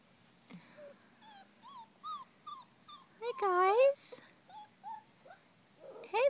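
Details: European Basset Hound puppies from a new litter, on parade; thin high rising-and-falling whines and yelps in short bursts, with a louder squeal in the middle and a woman talking to them.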